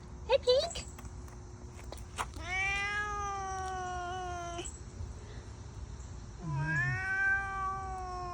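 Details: A frightened female cat that usually meows softly gives long, hollow, owl-like moaning calls, two drawn-out tones of about two seconds each, with a brief chirp; a second scared cat is present.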